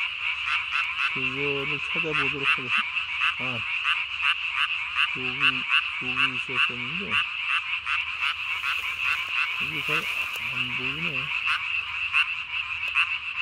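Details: Night chorus of a Japanese tree frog, recorded 3 May 2020, throat sac inflated to body size while calling; steady run of sharp, buzzy pulses overlaid by several short groups of deeper, wavering croaks.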